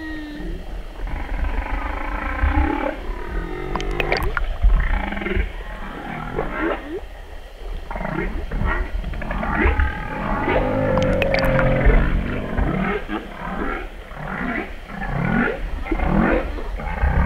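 Humpback whale song: low moans, rising whoops and wavering tonal cries in slow succession.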